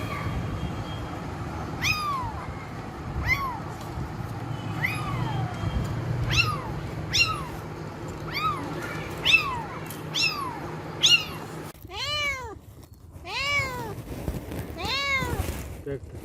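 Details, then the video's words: Kittens mewing repeatedly: short, high, arched mews roughly once per second, growing denser and louder toward the end, with steady low background noise. "Cats Kittens Meowing Compilation 2021| Meowing Cats |Kittens Funny Meow Sound"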